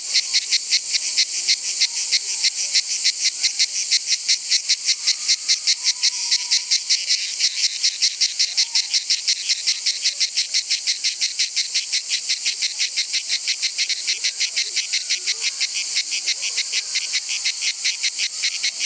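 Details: A cicada at Nîmes sings a loud, harsh buzz made of rapid pulses, steady and unbroken throughout.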